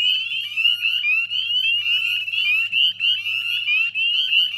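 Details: Northern spring peeper chorus recorded at dusk on 18 May 2020 beside a salt marsh in West Chezzetcook, Nova Scotia: many shrill rising whistles pulse rapidly over one another, with a low steady hum beneath.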